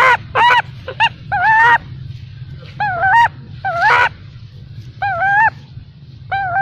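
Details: Baby macaque abandoned by its mother, crying: wavering, harmonic cries in bursts of about half a second to a second, rising and falling, with quiet gaps between, over a low steady hum.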